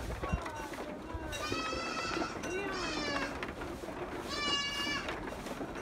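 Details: Goat on a farm giving two wavering, harmonic bleats a few seconds apart, each lasting under a second, over a low murmur of background noise.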